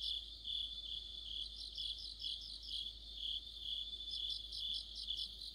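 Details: Cricket chorus in autumn under a streetlight, several insects overlapping: high, somewhat irregular pulsed chirps around two per second with stuttering bursts from a second singer.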